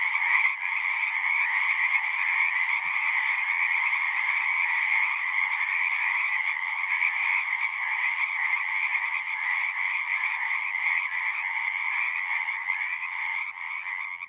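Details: A dense frog chorus at a pond in a horse pasture gives steady overlapping trills and croaks forming a continuous ringing wall of sound; the frogs quiet down when someone walks near.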